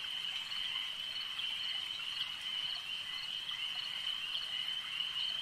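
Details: Frogs calling at a lake: a dense, unbroken chorus of high, buzzy trilling pulses that holds steady throughout, with faint flickers of individual calls above it and no other clear sounds.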